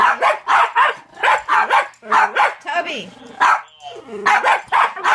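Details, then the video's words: A one-year-old Jack Russell Terrier, unimpressed by a talking Furby toy, gives sharp barks in quick bursts, with the toy's warbling electronic voice cutting in between them. "My Jack Russell reacts to Furby"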